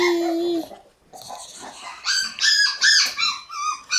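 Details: Puppy room of Shiba Inu pups, May 20, gradually getting noisier: one long steady whine, a brief hush, then a burst of shrill wavering yelps and whimpers packed close together.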